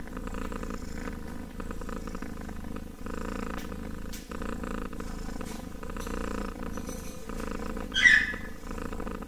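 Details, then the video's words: A kitten keeps up an even, rumbling purr in rhythmic breath cycles for several seconds, then gives one short, bright squeak near the end. "KITTEN ASMR purring!"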